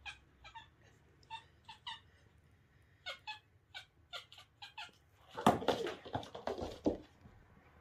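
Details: Playful kitten chasing a fetched toy, giving short high chirping squeaks at an uneven pace. Louder scuffling and thumping bursts follow near the end, and the chirps continue through them.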